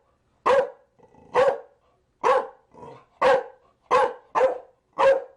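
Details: A Chow Chow barks in a rapid series of seven sharp, gruff barks over about five seconds, with occasional soft grunts between the louder ones.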